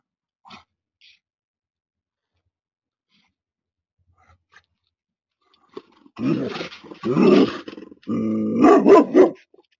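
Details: Anatolian Shepherd guarding goats against a coyote: after a quiet start, a burst of deep, rough barks and growling arrives in the last four seconds, loud and irregular.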